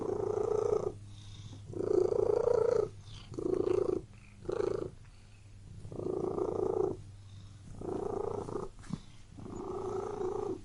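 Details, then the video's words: Cat purring inside a room, a continuous rough rumble swelling on each breath in a regular in-out rhythm, roughly six louder bursts with brief soft pauses and a faint steady hum. "Purring Cat in Room"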